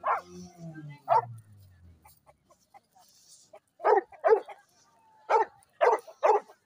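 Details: American Bully dogs in Pakistan during a dog fight, giving sharp, loud, harsh barks in bursts, singly and in quick pairs, after a low groaning growl at the start.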